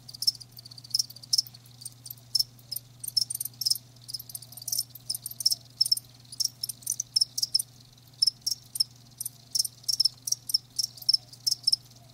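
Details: Several live crickets keep up quick, shrill chirps in irregular runs, some bursts close together and others spread out, over a constant low hum.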